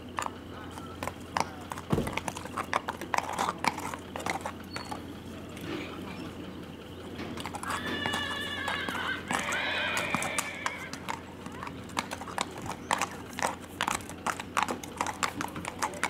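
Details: Under saddle at Big Money Stables, Texas, a big black Tennessee Walker gelding whinnies in two stacked harmonic bursts over about three seconds, set against rhythmic clip-clopping hooves and occasional voices.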